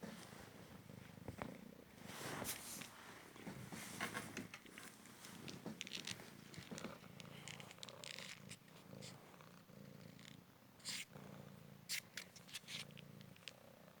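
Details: Cymric cat, a recovered male street rescue, purring during a fetch game indoors; continuous low rumbling purr under repeated paper crinkling and tapping.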